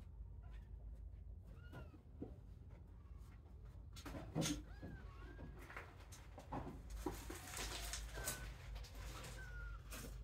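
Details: Young kittens leaving the kitten pile to explore their playpen; faint high mews, some arching, others flat and drawn out, spread through the clip amid rustling, bumps and a low continuous hum.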